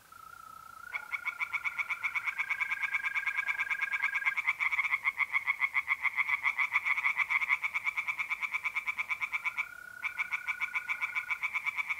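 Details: Night pond chorus of tree frogs in North-East Italy, mid April: fast rattling pulsed calls repeated several times a second, several frogs overlapping, while mole crickets give a continuous even trill throughout.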